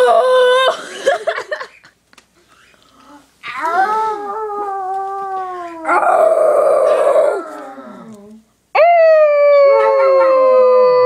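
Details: Annie, a small black Yorkie poodle, and Priscilla, called Silly, a Basset Hound, howl in bursts: long wavering tones sliding slowly downward, separated by brief silences, with a rougher, noisier howl in the middle.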